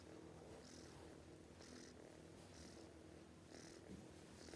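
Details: Domestic cat asleep and snoring too loudly, soft airy wheezes repeating roughly every second, fainter than the background hum, followed by a woman's voice telling it to stop sleeping.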